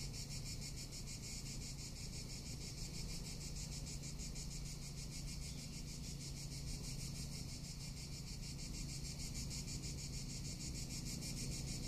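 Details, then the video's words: Continuous high, sizzling cicada song in summer in Tuscany, rapidly pulsed and unvarying, with some low wind-like rumble. "Cicada or Cigarra - Sounds of summer in Tuscany"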